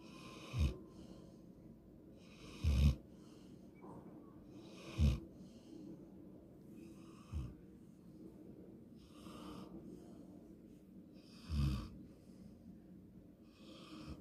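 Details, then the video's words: Sleeping golden retriever snoring, a habit that was once even worse. Low, rough snorting snores come in short bursts about every two to three seconds, some loud and some faint, with a soft hiss of breath between them in a quiet room. "강아지 코골이 옛날에는 더 심했음 ㅠㅠ"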